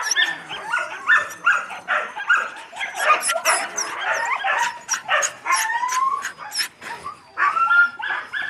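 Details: Yakutian Laika puppies keep up a steady stream of yips, squeals and thin whines, with some short rising whimpers mixed in among the overlapping calls.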